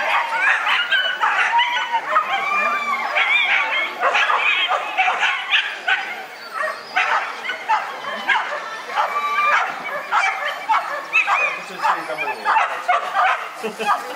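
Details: Whippets at a classic-class race, male category, Lednice cup: continuous dense excited yips and barks, overlapping and rapid, several dogs calling together with people talking in the background.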